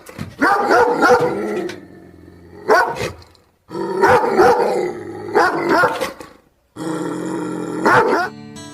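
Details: Dog barking in loud, rough bursts, some single and some run together into quick series, with short pauses between them over about nine seconds; music with sustained tones plays underneath.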